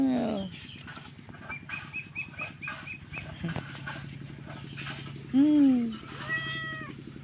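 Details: Newborn stray kittens calling for their mother cat; a loud drawn-out meow at the start, then a strong falling meow near five seconds and a fainter one after it, with soft chirps and a low droning background between them.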